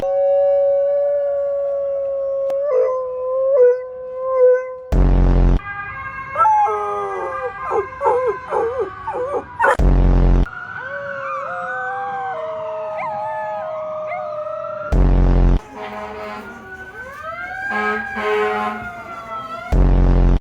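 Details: Several dogs howling in answer to a siren: long wavering, sliding howls overlapping in a chorus, some rising and falling in steps, broken by loud bursts of noise.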